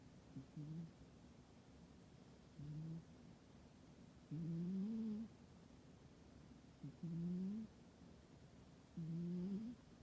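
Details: Sound-asleep domestic cat in a warm indoor spot in winter, giving five short, whistly, rising snores at irregular two-to-three-second gaps, soft and low, with near silence in between.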